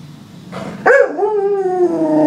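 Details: English Springer Spaniel giving one sharp bark, then a long, drawn-out whining tone that slowly slides downward over about a second and a half, with a faint rustle in the background.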